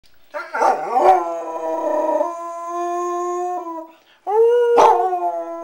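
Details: A female Basset Hound gives long, mournful howls, each starting wavery and settling into a sustained tone.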